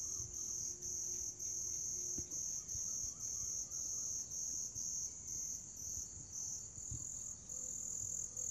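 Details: Grass insects trilling: a continuous high, piercing buzz overlaid by an even higher pulsed chirp repeated about twice a second, with short regular dips in loudness; faint low hum and occasional soft knocks in the background.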